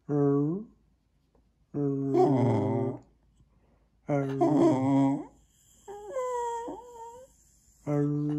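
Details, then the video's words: Pet Jack Russell Terrier vocalizing back at its owners inside a small room: drawn-out, grumbling, mouth-shaped moans in separate bursts about every two seconds, some rough and growly, others higher and wavering. "Jack Russell qui dialogue"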